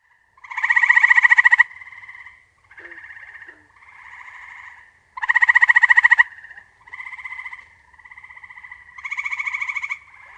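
An eastern gray treefrog gives loud, pulsed, musical trills about a second long, repeated every few seconds.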